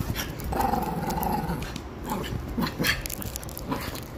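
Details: Chihuahua attacking, giving a rough, sustained snarling growl, then a few short snapping yaps toward the end over background rustling.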